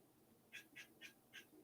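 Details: A squirrel in a tree right outside the house gives sharp, raspy barks in a quick run of four, each a brief nasal quack. It is alarm barking aimed at a dog, faint against a quiet background.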